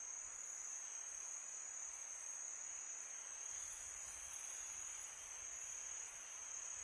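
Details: Crickets calling at night in summer, their constant high metallic trill steady throughout while a broad hiss of wind sits underneath, slightly stronger toward the end.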